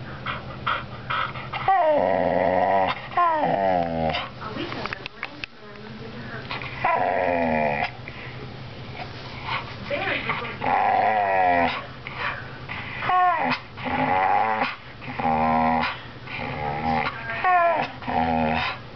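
A Bull Terrier 'talks' in wavering, moaning grumbles that rise and fall like speech.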